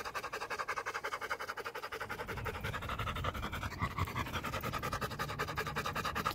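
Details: Rapid rhythmic panting from a Rottweiler out on a walk, roughly three breathy pulses a second, steady and unbroken, with a low rumble of background noise underneath.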